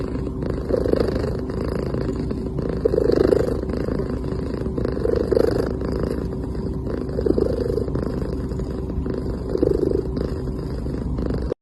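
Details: A dozing cat making soft sleeping sounds: low, rhythmic purring breaths rising and fading about every two seconds against a continuous faint hum.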